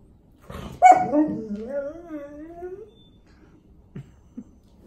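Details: Male Golden Retriever crying indoors because he needs to go out; one long, loud whine that starts high and slides down over about two seconds, followed by a couple of soft thumps.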